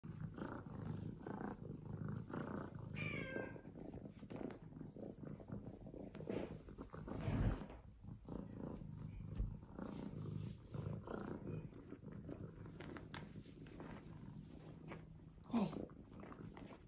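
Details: F2 Savannah kitten, a young male, purring with a continuous low rumbling throb, broken by a brief rising squeak near the start and a short sharp cry near the end, with handling rustles.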